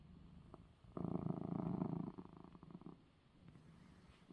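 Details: Domestic cat purring after receiving his eye medicine, one loud low rumbling purr of about one second, then fading to a faint soft rumble.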